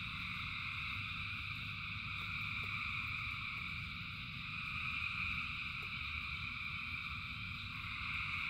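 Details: Frogs calling together in the rain, their massed voices merging into a continuous high droning chorus, with deep rain rumble below and occasional single drops ticking through.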